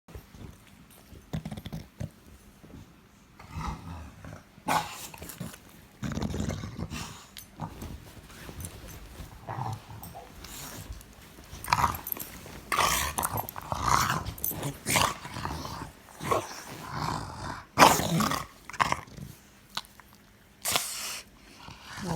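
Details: Dog recorded in May 2017 making lots of grumbling noises: irregular rough, throaty bursts and moans of varying loudness, growing more frequent in the second half, with short pauses between, heard indoors.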